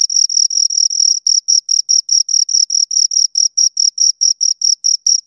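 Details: High, piercing cricket chirps from two crickets, short scraping pulses repeated rapidly and evenly, slightly overlapping at first before settling into a clean regular beat; nothing else audible.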